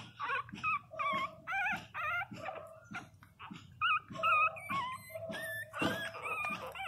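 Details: Pinscher puppies, 22 days old, crying loudly: dense overlapping high whines and squeals, some wavering, others flat, repeated about twice a second, with rhythmic lower cries underneath and some rustling.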